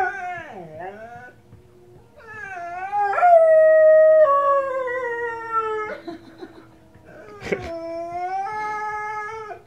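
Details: Pet Presa Canario Nala howls at wolves heard on the TV: a falling yip, then long descending howls with bright harmonics, a sharp broken note, and a final level howl; a woman speaks softly nearby.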